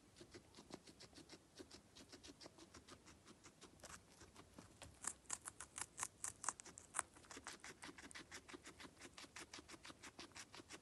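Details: Guinea pig feeding, recorded close up indoors: a steady run of crisp, crunchy bites and clicks, about two per second, some louder and sharper in the middle of the stretch, over a quiet room background.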